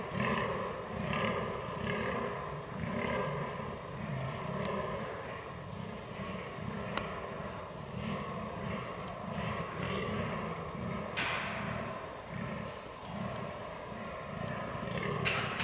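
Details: Fallow deer in rut, 22 October 2022, Canon R6 recording: a long sequence of guttural groans pulsing about once per second, with a few sharp clicks and a continuous low background drone.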